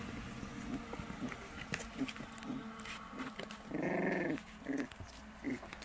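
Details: White Baekgu puppies in Cheongdo County, Korea, give soft short whimpers and low growly grunts, then a louder drawn-out whine near the four-second mark, with a few brief yelps after; handling clicks and rustling throughout.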